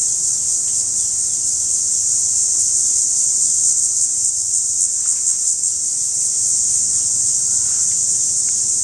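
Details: Periodical cicada calling, recorded close up: a loud, unbroken, high-pitched hissing drone that holds steady for the whole stretch without pause, with a few faint chirps in the background.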